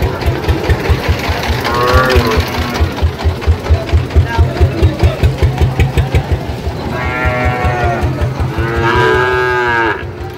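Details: Sahiwal bull calf at a livestock market where a Dhaka farmer is buying, 4 August 2025: one moo early, then two strong drawn-out bellows near the end, over a rapid throbbing engine and market chatter.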